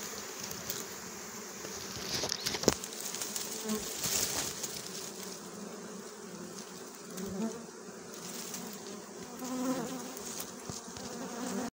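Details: Wild honeybees buzzing during a wild honey hunt and harvest: a dense, continuous low hum with faint wavering higher tones, broken by scattered clicks, rustles and brief knocks from the work.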